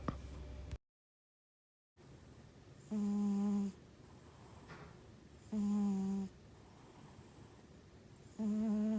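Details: Sleeping pet cat indoors, said to have possibly small nostrils but in good health, snoring in tonal, nasal, whistle-like breaths roughly every two and a half seconds, three clear snores after a brief silent gap.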